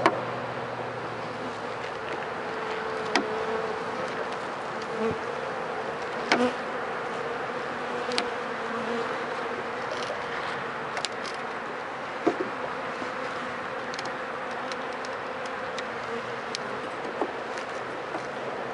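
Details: Continuous bee buzzing at a hive inspected for disease, dead bees wet in front after four days of rain; a steady hum through the whole stretch, punctuated by regular light clicks and knocks.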